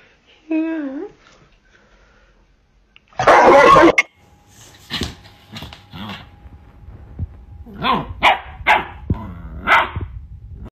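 A Rottweiler gives a wavering whine, then a loud, harsh bark, with human voices mixed in.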